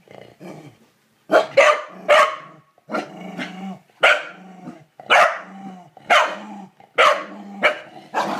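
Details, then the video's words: Kevin Bacon the corgi harasses a toilet bowl brush, barking in paired bursts about once a second, each bark trailing into a low grumbling growl. "Corgi hates toilet brush"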